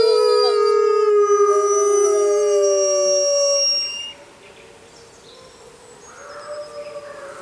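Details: Six Arctic wolves howl together in a chorus of long, steady, layered tones that fades to a softer howl.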